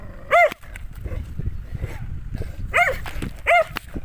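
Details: Dog barking at the person filming: three short, sharp, ringing barks, one early and two close together near the end, with low rumbling background noise between them.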